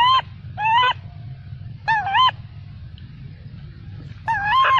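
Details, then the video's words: Baby macaque refused milk by its mother cries out angrily: loud, nasal, arching screams in quick pairs, a gap, then another pair and a final wail, over constant low background hum. "the baby monkey got angry and shouted loudly"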